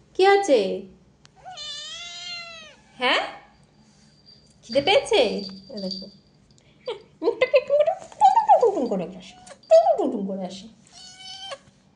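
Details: Pet cat calling repeatedly indoors: a steady stream of meows, some short and falling, one long tonal whine, and several loud, insistent cries that slide downward, with brief pauses between.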